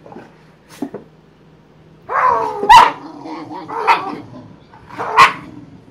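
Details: Boxer dogs play fighting: a low rumbling growl rising into sharp yelping barks, three louder peaks over a few seconds, a steady faint hum in the background.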